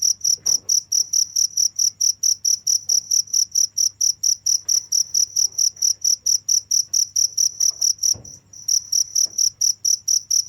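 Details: Cricket chirping steadily in rapid, evenly spaced high-pitched pulses, roughly four a second, with one brief pause near the end; a faint low hum runs underneath.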